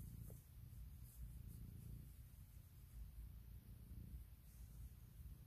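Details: Domestic cat Puk purring loudly in the morning while waking her owner with whisker tickles and asking for cuddles and kisses; a steady low rumbling purr fills the whole stretch, pulsing gently with each breath, indoors and otherwise quiet.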